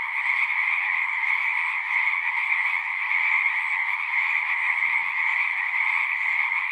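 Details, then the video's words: Pond frogs in a horse pasture sing as a massed chorus on a Zoom recording, a constant high trilling drone of overlapping voices, with a faint low thump near the fifth second. "Frogs singing"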